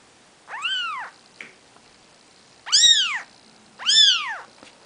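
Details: Three piercing, rising-then-falling mews from four-day-old Maine Coon kittens lying with their mother Nikita, spaced about a second apart after an opening call.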